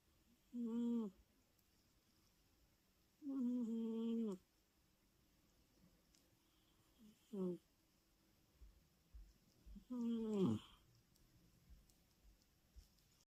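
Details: British Shorthair cat Louie snoring while asleep: four short tonal snores, each under a second, spaced roughly three seconds apart, with a quiet background between them.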